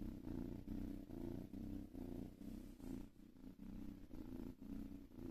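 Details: Domestic cat purring softly, a low buzzing rumble in regular breath-paced bursts about every half second, quiet room with nothing else audible.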